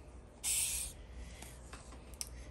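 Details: A Madagascar hissing cockroach, bought as a feeder insect and held in a cup, gives one breathy, airy hiss lasting about half a second.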